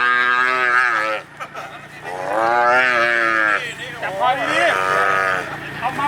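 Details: Cattle, one of ten cows handed over to villagers under a cow bank project in Hua Hin, Prachuap Khiri Khan, Thailand, on 8 July 2023, held by the neck. Long, loud, harmonic moos, one drawn out over a second, then another, with people talking nearby.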